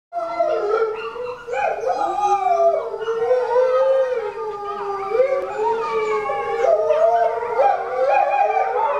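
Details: Captive Chinese wolves at Tennoji Zoo: a male pup about six weeks old, the only male of four, howls while his excited mother nearly drowns him out. Overlapping long wavering howls slide up and down, with several voices layered throughout.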